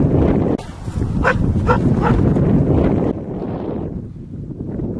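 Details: Thai Ridgeback Nellirel Bonny Song at a coursing event in Novy Milet, 17 September 2016: three short, harmonic barks about half a second apart, set against heavy wind and handling noise, followed by quieter rumbling.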